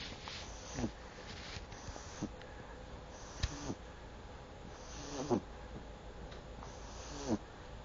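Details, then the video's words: Snoring from Buba, a pet pug, with short snorting breaths and faint wheezy tones repeated every one to two seconds against quiet room hiss. "Buba snoring"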